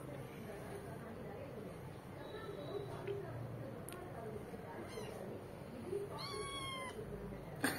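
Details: Cat family while a tiny newborn kitten shoves two bigger kittens away to drink milk; one clear, harmonic, slightly wavering kitten mew near the end, amid soft clicks, rustling and a woman's voice.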